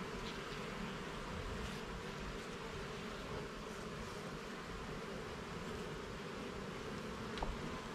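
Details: Dense, unbroken drone of many honey bees during a garden hive inspection, a rough buzzing murmur with a single light tap late on.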